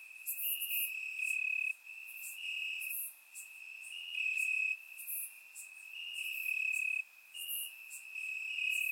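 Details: Warm summer night in Bulgaria with crickets in the grass; a continuous high-pitched trill swells and fades in bursts of a second or two, layered with fainter shrill insect notes.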